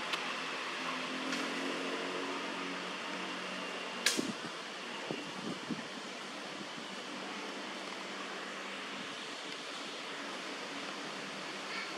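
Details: Steady whir of a fan in a small room, broken by a sharp click near four seconds and a few soft knocks.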